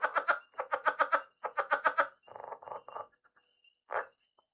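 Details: Southern leopard frog (Rana sphenocephala), possibly a Rio Grande leopard frog, Texas/DFW area: male advertising call near ponds, rapid guttural clucking chuckles in quick bursts, then a few softer croaks.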